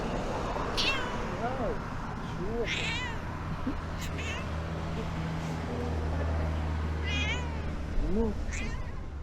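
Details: Annoyed stray cat in Turkey, sitting on a scooter and not in the mood, giving about six short, rising-falling meows spread over nine seconds, with a low steady hum underneath.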